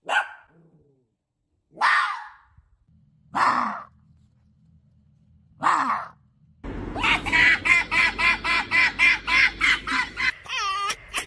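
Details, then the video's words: Pet fox indoors: several short hoarse harmonic yelps spaced about two seconds apart, then a rapid run of chattering, evenly pulsed calls, ending in a few higher wavering squeals. "Funny fox sounds"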